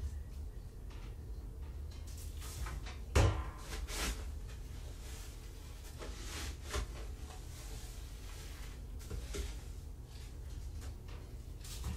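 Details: Scattered knocks and clatter, like cupboards or drawers, sound over a low indoor rumble; no animal calls.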